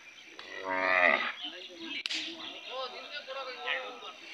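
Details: Hallikar cattle at the Sunday Jodugatte cattle fair market in Turuvekere taluk, Tumkur district: one drawn-out, rising then falling moo lasting about half a second, followed by a sharp crack and a crowd of people talking.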